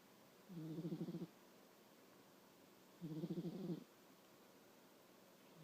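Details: A sleeping nine-year-old pet cat snoring: two soft, low, rasping breaths with a fluttering texture, about two seconds apart, in a quiet room.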